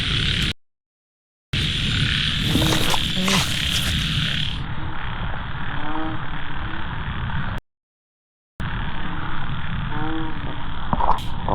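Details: Frogs calling during falling rain while people run to catch them; short ribbed croaks stand out near six and ten seconds over a steady hiss of rain, with a high insect-like buzz in the first seconds.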